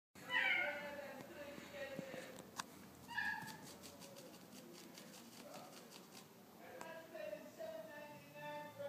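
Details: A visiting Maine Coon cat in a standoff gives drawn-out, wavering meow-like calls, repeated in several bursts.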